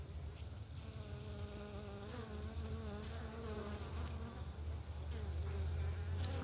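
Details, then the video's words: Italian honeybees at a homestead hive at breakfast time, a less aggressive strain: a steady low droning hum with faint wavering higher tones drifting over it, swelling slightly toward the end. "Breakfast with the bees"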